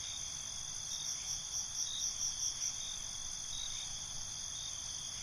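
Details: Crickets at night trading calls in a binaural recording: a rapid series of rhythmic high chirps, roughly five per second, pulses over a steady shimmering trill for about two seconds, then the steady drone continues alone.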